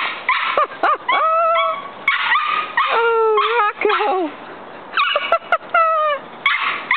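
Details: A big and a little dog playing together, one picking on the other. Bursts of high, wavering whines and yips come in quick clusters with brief gaps, some notes sliding downward, and a person talks nearby.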